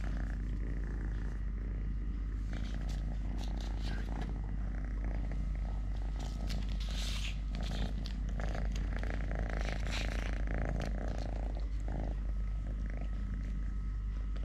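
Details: Steady low purring from Totoshka, a male domestic cat living normally on three legs, overlaid with rustling, handling noises and bursts of brighter scratchy sound through the middle.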